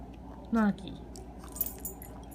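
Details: A 10-year-old Peke-Pom learning to 'speak' gives one brief, whiny yelp that slides slightly downward in pitch, answering a command to speak.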